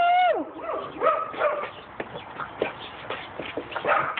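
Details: Pug Vader, filmed on an Android phone, opens with a clear sliding howl that drops in pitch, followed by shorter wavering yowls mixed with human voices in the background.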